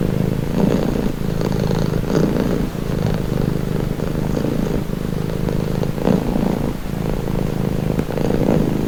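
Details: Steady purring from a cat, a deep rattling vibration without pause. Gentle rises in loudness mark each breath, roughly every two seconds, and faint background hiss stays in the background.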